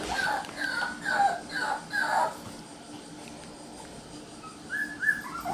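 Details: Red male Shiba Inu puppy, born June 27, whimpering indoors: a run of thin, high, wavering whines for about two seconds, a quiet pause, then a couple more short whimpers near the end.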